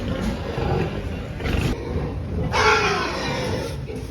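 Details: A piglet lets out a loud, harsh squeal lasting about a second, noisy and broad rather than clearly tonal. It follows a shorter earlier burst and low rumbling grunts, with steady background noise throughout.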